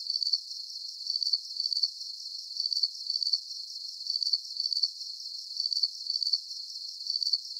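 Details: Soothing cricket chorus for sleep: sharp, high, rapidly pulsed chirps repeating at an even pace of about two per second, over a faint high hiss, with no other animals or noises.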